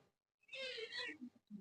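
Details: One of two cats playing near their little house gives a single drawn-out meow of about 0.7 seconds. The meow is rich in overtones and holds steady, then fades. A man's voice is heard just before and after.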